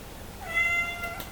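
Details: A hungry Somali cat meows to be let into the living room: one short, steady, high tonal cry with strong harmonics, held level then trailing off, with a faint click at the end and low room hum.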